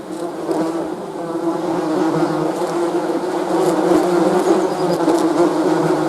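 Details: Bees buzzing: a dense, continuous low drone of many overlapping wingbeats, steady in loudness with a slight swell midway, no other clear sounds.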